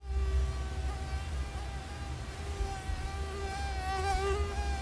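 A mosquito's thin, high whine, steady and slightly wavering in pitch, over a low rumble.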